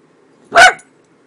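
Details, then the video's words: A miniature dachshund gives a single short, sharp yip-like bark lasting about a quarter second in an otherwise quiet room. "Miniature Dachshund Makes Weird Noises"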